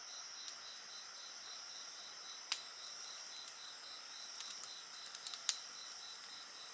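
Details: Insects chirping together beside a crackling bonfire: a steady high shrill drone with a faster pulsed trill beneath it, broken by a few sharp pops and snaps from the fire.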